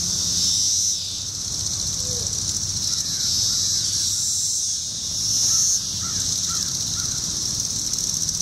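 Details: Periodical cicadas, with wing flicking: a continuous high shrill hum swells louder for a moment near the start and again around five seconds, while soft short bird chirps come through in the background.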